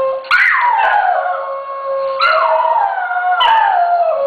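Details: Synchronized howling from two dogs, Kuki singing alto and Krim soprano: three overlapping howls, each swooping up then gliding down, while a steady lower note holds underneath throughout, giving a layered two-voice sound.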